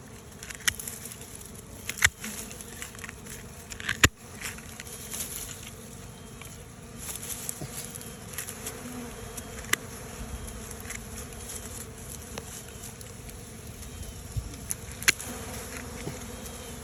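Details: Honey bee swarm abandoning its old hive box for a new one: a dense, steady low hum fills the whole stretch, with faint high chirps from other creatures and occasional sharp clicks.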